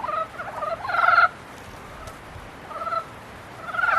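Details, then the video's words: Mating-season frog calls: two quick pulsed croaks followed by a louder rattling burst, then a long quiet pause before two more short croaks. "개구리 짝짓기"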